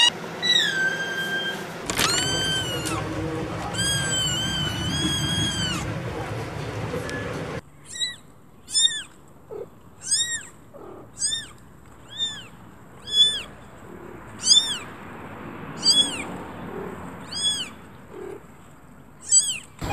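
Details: Domestic cat meowing in a cut-together sequence: a few long harmonic meows first, then a quieter run of short, high, arched meows repeated roughly every second against a faint hiss.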